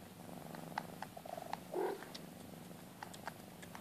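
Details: At a Maine Coon cattery, with a mother cat and her two-month-old kittens, a Maine Coon purrs steadily, with one short, rising mew near the middle.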